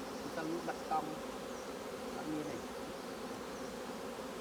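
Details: Continuous low droning hum of honey bees at the hive while capped honeycomb is harvested, even in loudness with faint voices in the background.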